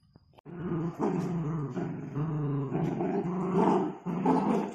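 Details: Miniature Dachshund, a pet dog, growling steadily in a low, rumbling, harmonic tone that swells and dips for about four seconds after a brief pause, with no other clear sounds.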